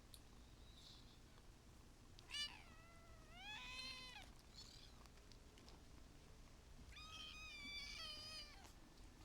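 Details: Kittens meowing indoors: a few thin, high mews, some rising then falling, spaced unevenly over several seconds, with a steady background hiss.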